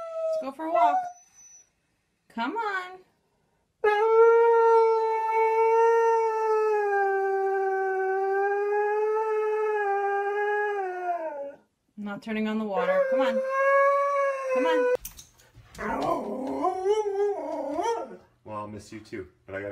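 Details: Siberian Husky pet 'talking': a few short yips, then a sustained, smooth howl of about eight seconds that sags slightly at the end. Choppier, garbled yowling phrases follow, with some rough noise near the end.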